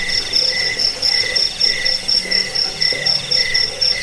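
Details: Crickets sounding together in a recording meant to repel rats, aid sleep and tutor songbirds: a high, steady pulsed trill runs throughout, with a lower chirping line rising and falling in short bursts about twice a second.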